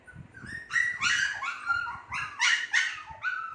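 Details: Two-month-old Shih Tzu puppies calling together, a bright mix of short yips and sliding whines that come in clustered bursts, rising and falling in pitch.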